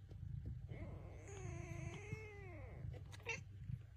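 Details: A talkative Bengal cat, from a family of a mother cat and kittens, gives a long, drawn-out meow that rises and then slowly falls, over a low background rumble.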